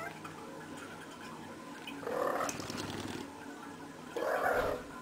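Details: Female cat rolling around during play, making two short muffled chirping calls a couple of seconds apart, with rustling in between.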